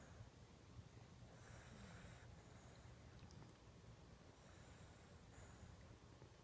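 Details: Bailey the Lhasa Apso dozing on the couch, giving quiet hissing snores in slow repeated breaths, two longer wheezy pulls a few seconds apart over steady low background rumble.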